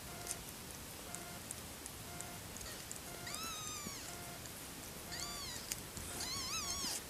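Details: Five-day-old kitten, born 31 August 2014, giving three thin, high arched mews that rise then fall, spaced about a second or two apart, over a steady faint background hum.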